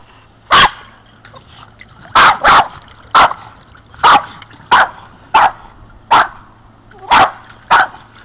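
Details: Boston terriers playing in a pool, jumping in after toys: loud, sharp single barks, sometimes doubled, repeated about every half second to one second, with a faint low hum underneath.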